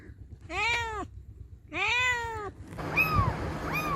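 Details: Cats and kittens meowing: two long, evenly arched meows about a second apart, followed after a cut by two higher, thinner rising-falling meows over a noisier background.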